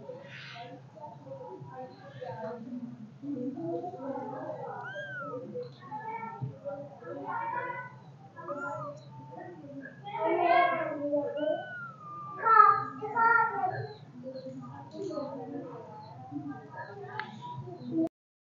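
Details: Several kittens give high, thin meows that rise and fall, overlapping one another in quick succession.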